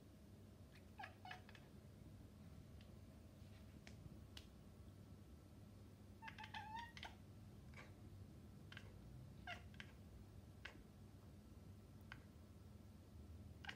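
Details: Maine Coon cat; chirps and chatter; communicating with birds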